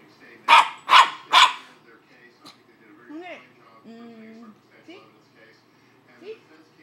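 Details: Pet dog being teased with a treat, barking three times in quick succession, followed by a quieter stretch of whining, rising squeals and a flat, held whine as its owner coaxes it to come get it.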